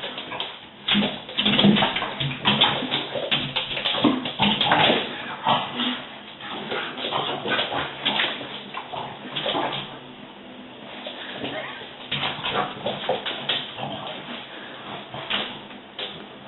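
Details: French Bulldogs at a window, excited by the fortnightly window cleaner, bark and whine in a rapid, uneven jumble of yaps and whimpers.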